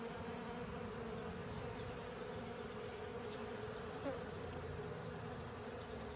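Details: Honey bees and other insects cleaning up a honey filter, a steady dense droning hum with a strong low tone held throughout, many wings buzzing together without pause.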